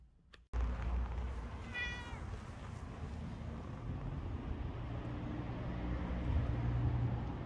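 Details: British Shorthair cat meowing during the day: a single short, harmonic meow heard once near the start, set against a constant low rumbling background noise.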